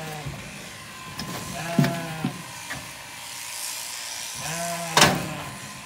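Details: Zwartbles sheep on a regenerative farm in County Kilkenny, Ireland, after a ewe with surprise late lambs was shorn and her lambs did not recognise her; three harmonic, wavering bleats spaced over several seconds, with light clicks and rustling between.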